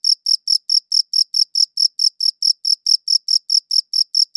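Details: Crisp, high-pitched cricket chirps recorded on a quality audio recorder, pulsing rapidly at about four to five per second with no other sounds in the background.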